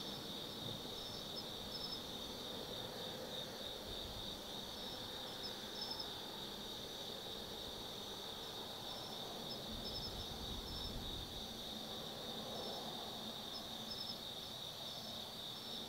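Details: Autumn night in the Tsukimi no Mori forest above the Nobi Plain, Gifu, Japan: many insects keep up an unbroken high-pitched ringing drone, punctuated by short repeated chirp bursts, with a quiet low background hum of distant traffic.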